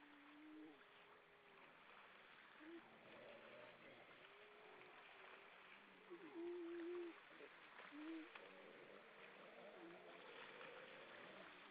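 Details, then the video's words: Lots of grey seals singing on coastal rocks at Vilsandi in Estonia, 22 October 2012 at dusk: scattered drawn-out low moans and brief upturned yelps, one louder wailing note mid-way, against continuous broadband rushing noise. "Lots of seals on the rocks singing"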